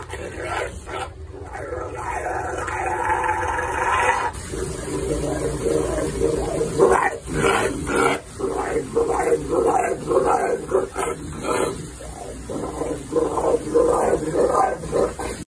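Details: A Rottweiler grumbles and whines in drawn-out, talkative bursts, protesting in the bath at having its paws washed instead of getting treats.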